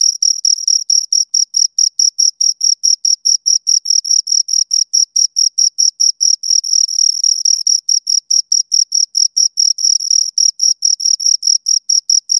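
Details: Chirping of two crickets, a fast even train of shrill pulses, roughly four to five per second, briefly blurring into a near-continuous trill midway, with a fainter overtone above the main tone; nothing else audible.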